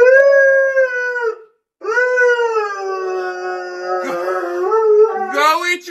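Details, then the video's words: Siberian Husky howling indoors: a sustained tonal howl, a short break, then a longer wavering howl that turns rough and ends rising sharply, with a person's voice mixed in. "Howled the whole time"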